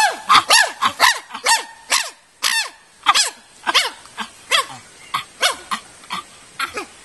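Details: Chimpanzees in an 18-hectare natural habitat enclosure at the Nigerian Chimpanzee Center, Afi Mountain Drill Ranch, Nigeria, giving loud, sharp, arching hoots about twice a second, rising then falling, over seven seconds.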